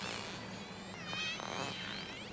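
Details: A killer whale gives squealing, harmonic contact calls that sweep up and down, with a brief pulsed buzz; such pod-specific, learned calls carry underwater at least 10 miles and let pod members recognize each other.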